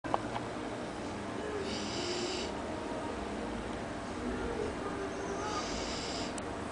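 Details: Malú, a female Labrador Retriever, snores while asleep at the foot of the table as she always does. Two broad, raspy snores come about four seconds apart over a steady background hiss.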